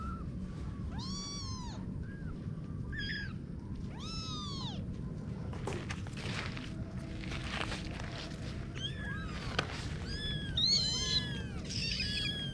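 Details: Kittens mewing: several thin, high, bowed meows at the start, then a patch of rustling and scuffling, then more quick overlapping mews near the end over a low hum.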